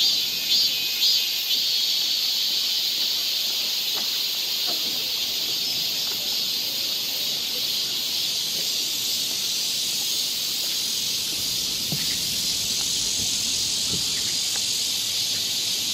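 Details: Summer cicadas in a forest near Seoul, South Korea, keep up an unbroken high shrill buzz, with a few soft scattered taps and rustles from the trail underneath.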